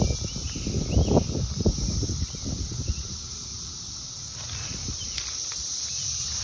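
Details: A summer cicada in Indianapolis, USA, drones in a steady, high, unbroken buzz, with rustling and handling noise early on.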